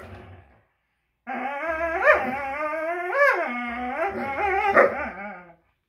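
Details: Greyhounds fighting over a toy, one giving a long, harmonic whining vocalisation with wavering pitch and sharp rising yelps near the second, third and fifth seconds.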